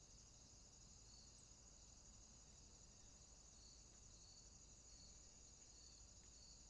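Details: Swamp crickets at night keep up an unbroken high-pitched trilling chorus, two shrill ringing tones that swell and fade in a slow regular pulse, set against a low steady rumble of ambient noise.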